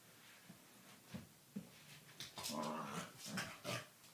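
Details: Doberman puppy Dartanian and corgi Vaida playing rough indoors; short low growling bursts and snarls come irregularly, grouping more densely in the second half, with scuffling between them.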